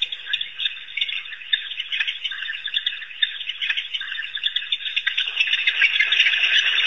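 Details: African wild dogs, also called painted or Cape hunting dogs, at Pete's Pond in Africa: dense, high bird-like twittering and chattering squeaks pour out without pause, growing busier and louder toward the end.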